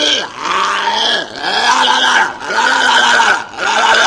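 A walrus gives a run of deep, harmonic, bellowing calls, each swelling and falling about once a second.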